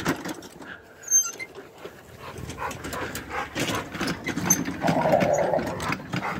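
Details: A Rottweiler growls in rough, rumbling bursts over background noise while trying to bite and fight a wagon tire.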